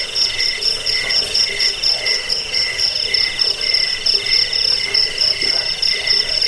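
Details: Shrill cricket trilling, presented as sound to drive off rats, lull listeners to sleep and tutor songbirds; fast, regular pulses of high ringing tones stack over one another, with a softer rasping layer lower down.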